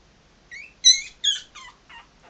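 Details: A few sharp, high-pitched squeaks from 3.5-week-old Maltese puppies walking around, each a short wavering cry, the loudest in the middle and fading into smaller chirps.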